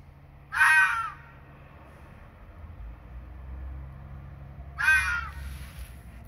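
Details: Red fox in the dark in breeding season, screaming to confirm territory against rivals; two loud, raspy, falling squeals about four seconds apart, with low rumbling background noise between them.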